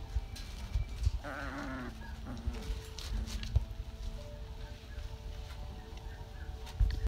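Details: Rottweiler puppy from Georgia's litter, on day 33 of their care and during potty training, lets out a short wavering, bleat-like whine lasting under a second, set against a low background rumble and scattered household knocks.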